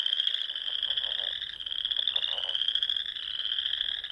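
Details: Nebraska Sandhills frogs in spring at dusk: an unbroken shrill trilling chorus, joined by soft, quick lower pulsed croaks around the middle.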